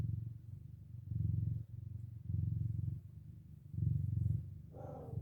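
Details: Domestic cat mother purring to her four kittens as they wake from a nap; a steady low rumbling purr in long pulses about a second each with brief breaks, and a short higher mew near the end.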